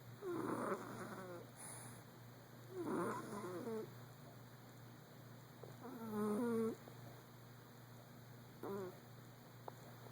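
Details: Sleeping Persian cat Stewie, dreaming, makes a series of brief warbling moans and chirping murmurs, four to five bursts with shifting pitch, over a low steady hum in a quiet room.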